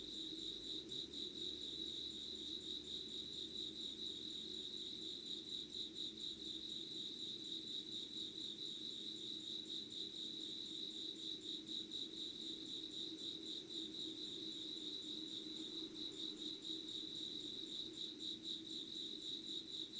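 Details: Crickets and other insects singing in Yugawara, Kanagawa, Japan, at 5 a.m. on 25 August 2019; high rapid pulsed chirping, about two pulses a second, carries on without pause over a soft low drone.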